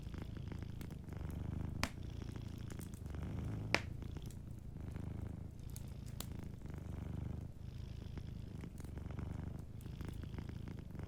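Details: Cat purring while asleep beside a cozy fireplace, a deep continuous rumble rising and falling in roughly one-second breathing cycles, with occasional crackles and snaps from the fire.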